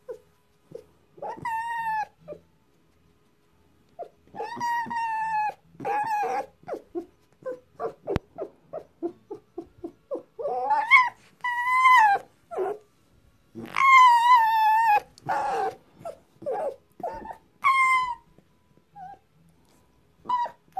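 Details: Tame female fox woken in a nervous mood and resisting being touched gives loud quavering squeals, rising and falling, mixed with rapid runs of short clicking yelps in the middle, the bursts coming every one to two seconds.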